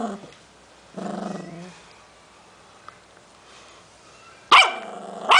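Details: Protecting a new snack, 11-week-old Cavalier puppy Milton gives a brief rumbling growl, falls quiet, then erupts into two sharp, high barks near the end.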